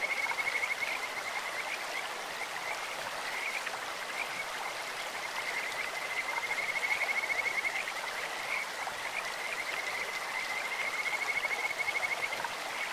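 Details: Kajika frog calling in a clear stream: a thin, high, whistle-like trill at one steady pitch, swelling and fading in drawn-out phrases over a constant broad rush of flowing water.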